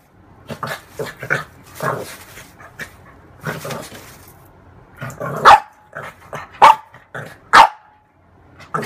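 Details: Female French bulldog playing with her own mirror image indoors: low grumbling, huffing sounds first, then three sharp, loud barks spaced about a second apart near the end.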